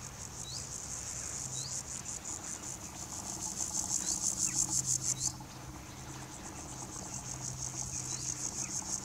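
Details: Grasshopper stridulating by rubbing its hind legs against the edges of its forewings, filmed with a Nikon P900 and Raynox DCR-250 macro lens; high, buzzy pulsed chirping in rapid trains, swelling and fading, over low background hum.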